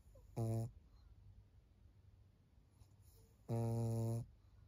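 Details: Maria, a 14-year-old fawn female senior pug in Japan, recorded on 4 June 2024, snores in two loud, low, buzzy rumbles, each a short burst, separated by about three seconds of quiet breathing.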